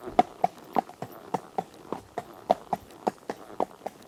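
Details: Horse running, with distinct separate hoof strikes: crisp hollow knocks arriving roughly every quarter second in an uneven beat over a quiet background.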